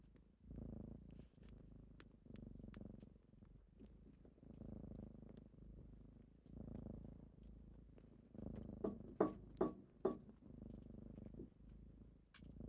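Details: Kittens purring on a typical morning as they wake their owner, a low rumbling purr in pulsing bursts with brief pauses for breath, then several sharp clicks and taps near the end.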